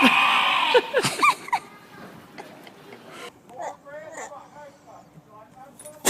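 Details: Goat (Capra hircus), bleat.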